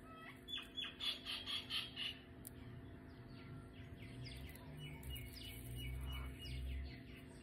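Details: Pet guinea pig Coco having her nails clipped gives a burst of seven loud, high, squealing notes about three per second. Lower rustling, handling noise and a soft background hum follow.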